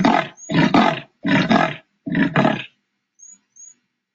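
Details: Sawing call of a leopard from the Indian jungle, heard at dusk in rocky hill country; four coarse rasping saw-like strokes in quick succession, then silence with two faint high whistles near the end.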